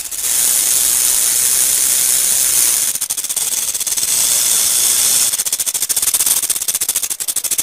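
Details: Buzzing rattle of a rattlesnake: a high, hissing whir that breaks into rapid, uneven clicking pulses partway through, then returns to a smoother buzz before stuttering again near the end.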